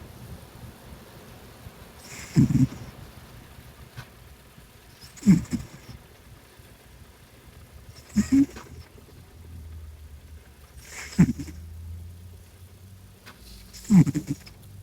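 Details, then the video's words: Tiger, a male Maine Coon cat, asleep and snoring like a human: loud, low, rasping snorts repeating about every three seconds, with quiet breathing between them. "Cat Snores Like A Human"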